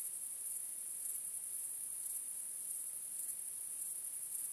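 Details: A nocturnal chorus of crickets under the stars: a shrill, unbroken high buzz with louder chirps popping out roughly twice a second. Nothing else is heard.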